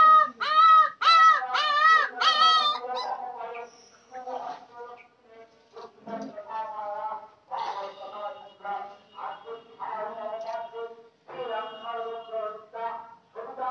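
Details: Village puppies yelp loudly in a quick series of high, wavering cries at the start, then keep up softer whimpers and short yips at irregular intervals.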